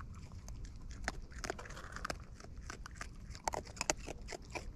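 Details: Wild raccoons eating close up, natural chewing sounds: irregular crunchy clicks and smacks scattered over a low background rumble.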